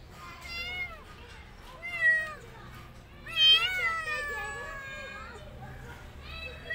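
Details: Rescued street kitten having a hard time, giving a series of drawn-out, harmonic meows that bend up and down, about four calls spaced one to two seconds apart, the later ones longer and more wavering.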